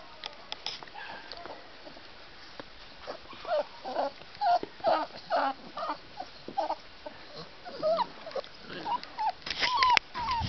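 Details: Six-week-old crossbred puppies, wolfhound, stag and mastiff-Dane mother and bull arab father, whimpering and yipping in short rising and falling squeaks, getting busier and louder toward the end, over a faint steady background hiss.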